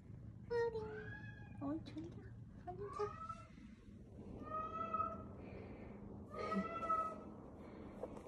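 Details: Rescued kitten, one of several found crying after falling into a dark sewer or left for hours in bushes, giving a series of thin, rising-falling meows at a low volume, with human voices and room noise underneath.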